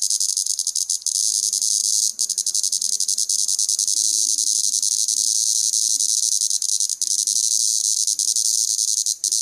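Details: A plebeian cicada (Lyristes plebejus), deliberately disturbed while feeding on sap, sings a loud, continuous high buzzing drone with a slightly pulsing, rasping texture, showing its displeasure.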